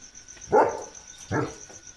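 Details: Leo, a German Shepherd, outdoors as rain begins during a thunderstorm, gives two short, gruff barks about a second apart, with a steady pulsing cricket chirr and light rain behind.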